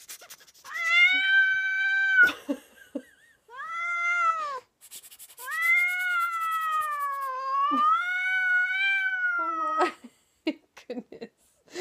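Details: Siamese cat indoors reacting loudly to a funny noise made by its owner: long drawn-out, wailing yowls with strong harmonics, a two-second cry, a shorter one, then a sustained wavering howl of about four seconds.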